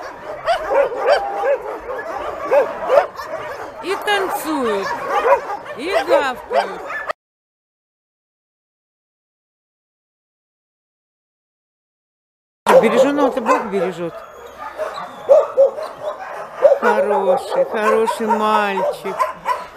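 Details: Many homeless mongrel dogs, among some 2,000 animals waiting to be taken home, bark and yelp together in a dense chorus. A long silent gap splits the barking, and a few lower drawn-out whines follow it.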